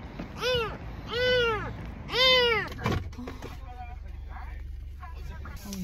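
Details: Domestic cat named Cheetah, just home from the hospital after parvovirus treatment, its voice hoarse from crying so much; three arched, drawn-out meows in the first two and a half seconds, then people talking over low background hum.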